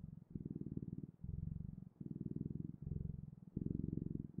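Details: Cat purring close up, deep buzzing rumble in alternating longer and shorter phrases separated by brief pauses, like breathing in and out.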